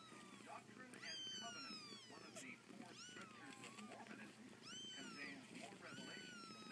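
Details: Siamese kitten fighting a sibling; thin, high mews that rise and fall come in quick, uneven bursts over a low background murmur.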